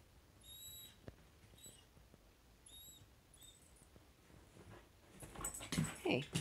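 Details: Samoyed at home whining because its dog friend is walking past the house before playtime; a few brief, thin, high kettle-like whistles, each under a second, then louder rustling and shuffling noise at the end.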